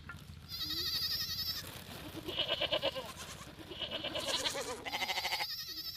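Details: Overlapping sheep bleats, quavering and nasal, follow one another almost without pause: a high thin cry, then lower wobbling calls, then another high bleat near the end, over a low background murmur.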